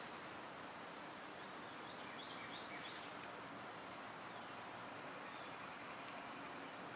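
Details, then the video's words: Loud summer cicadas produce a dense, steady high buzz without breaks, with faint chirps early on and two quick ticks near the end. "Birds & Squirrels w/ Cicada sounds"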